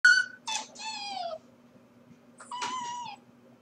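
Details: Corgi puppy left alone at home while its owners are at work: three high, harmonic whines, the third sliding downward, then a pause and one more short whine ending on a steady lower tone. A faint low hum continues underneath.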